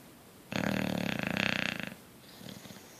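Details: Bulldog asleep, giving one drawn-out snore of about a second and a half with a fast fluttering rattle, a fainter breath following, otherwise quiet.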